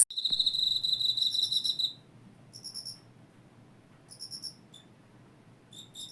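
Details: Insect calling in high, buzzy trilled chirps for about two seconds, then short separated bursts of the same chirp, with a faint low hum beneath.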